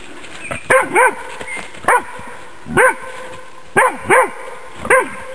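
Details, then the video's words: Female Magyar Vizsla working on wild boar in a demonstration; a run of short, high, clipped barks, often in quick pairs, about seven in five seconds. "Magyar Vizsla an Sauen"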